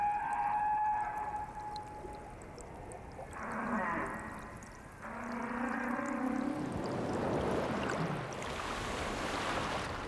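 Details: Male humpback whale mating song, part of a long-established culture, sung for hours across breeding grounds; steady mid-pitched moaning tones give way to lower drawn-out notes and rougher, noisy phrases.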